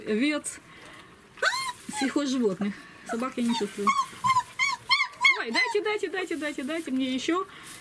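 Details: German Shepherd puppies, 26 days old, at feeding time in Odessa, Ukraine, squeal and whimper with high rising and falling whines, many short overlapping cries, while a man talks throughout indoors.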